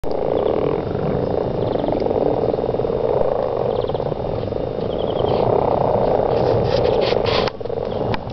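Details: Mating frogs in a garden, a dense continuous chorus of rapid pulsed croaking trills merging into a steady mid-pitched drone, with a few faint higher chirps above it.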